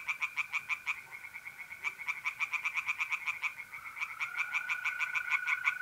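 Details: Tree frogs calling by a pond on a mid-April night in north-east Italy, repeated runs of quick rasping pulses broken by short pauses, several frogs alternating, with an unbroken mole cricket trill in the background.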